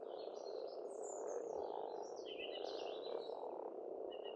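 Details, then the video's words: A massed croaking of frogs at an Estonian pond in spring forms a steady, thick hum, overlaid with high, sliding bird whistles and twitters. "Расслабляющее пение птиц и лягушек, весна, природа."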